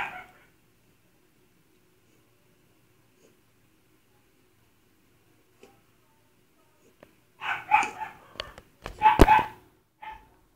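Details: Dachshund during a static seizure, recorded on a phone: mostly quiet, then a cluster of strained, harsh bursts of vocalizing mixed with sharp clicks and knocks over about three seconds.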